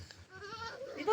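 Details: Goat crying for its playmate: a thin, steady nasal bleat that rises and brightens at the end, over faint background chatter.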